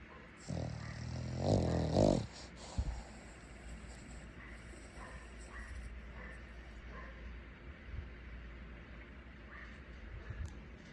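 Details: Boston Terrier asleep, snoring until morning; one loud, rough, low snore near the start, then faint low breathing under a steady background hiss.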